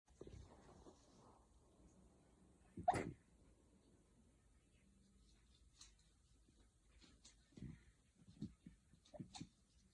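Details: Shiba Inu at home, one of a mother and daughter pair, possibly sleep-talking or sneezing. A single sharp, explosive sneeze comes near three seconds, followed later by soft snuffling snorts and faint small squeaks in a quiet room.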